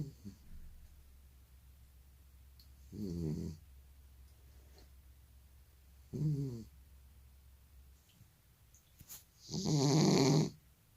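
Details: Elderly male cat with sleep apnea snoring while asleep indoors: three harsh, rasping snore bursts near 3, 6 and 10 seconds, the last loudest and longest, separated by long quiet pauses with no breathing sound between.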